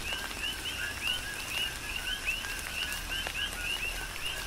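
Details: Rain-soaked night chorus of coqui frogs, Big Island, Hawaii: distinct brief two-part rising chirps repeat several times per second from multiple callers, set against soft rain hiss and drips.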